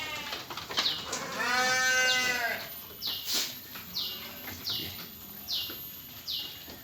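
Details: Sheep kept in pens by PT Jatinom Indah Agri, with recently shorn animals and lambs nearby: one long, wavering, harmonic bleat lasting over a second, followed by high, short chirps repeating about once a second in the background.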